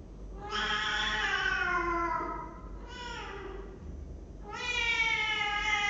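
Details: Indoor cat in a cat room, filmed by webcam on 23 December 2015: three loud meows, a long falling one, a short softer one, then a strong rising-falling cry, over a quiet room hum.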